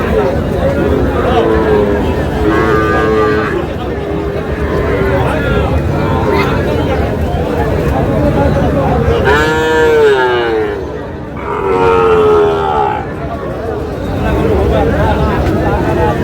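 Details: Sahiwal bull calves at a cattle market, bought by a farmer from Chandpur, Bangladesh, on 25 June: two drawn-out, wavering moos near the end over constant crowd chatter, bargaining voices and market din.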